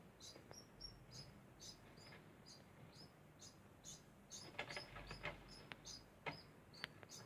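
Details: A degu's constant sound: rapid high squeaks repeated about twice a second, mixed with bursts of clicking and rustling in the middle.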